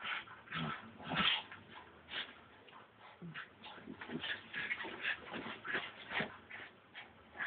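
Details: Brussels Griffon named Frankie, excited and wild, phone recording: strings of brief, high whimpering yips and small barks, uneven in spacing, with a stronger burst just past one second.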